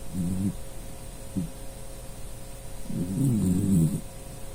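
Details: Dachshund snoring while asleep; a short low rumbling snore at the start, a brief snort, then a longer, deeper rattling snore about a second long, over a faint steady hum.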